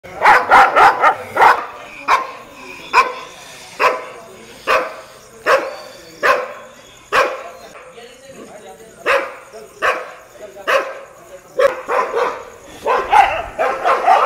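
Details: Street dogs barking at a Labrador, loud sharp barks in quick bursts, several overlapping at the start and end, with steady single barks roughly every second between and some faint talk.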